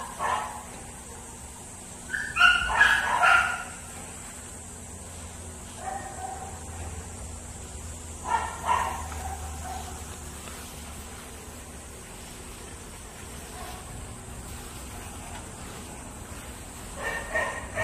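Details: Small dog meeting a big dog; sharp yips and barks in bursts, loudest around two to four seconds and again near eight to nine seconds, with quieter whimpers between and a steady background hum.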